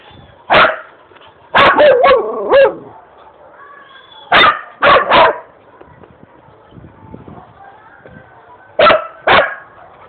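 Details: Dog barking while being chased by a cat at home: loud, sharp barks in bursts of one to four, each a broad harsh note, with pauses between groups, then a final pair of barks; faint voices in the background.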